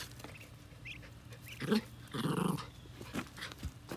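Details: Jack Russell Terrier meeting baby ducklings in a yard on their first day outside, producing a low rumbling growl in two bursts lasting under a second each, with faint high peeps and soft background noise.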